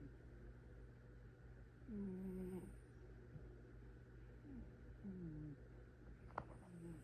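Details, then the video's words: Domestic cat snoring softly, with drawn-out, slightly whistling low tones falling in pitch on each breath, about every three seconds, over a steady electrical hum. "#cat #catvideos #snoring"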